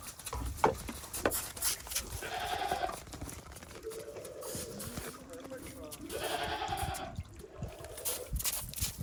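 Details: Farm goats in Japan venturing out onto snow after a heavy snowfall in late December 2023; two drawn-out quavering bleats over a background of human voices and footsteps.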